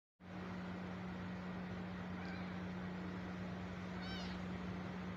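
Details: A tiny stray kitten, left alone by its mother, cries with two short, thin, wavering meows about two seconds apart, nearly buried under a steady low hum and constant engine-like background noise.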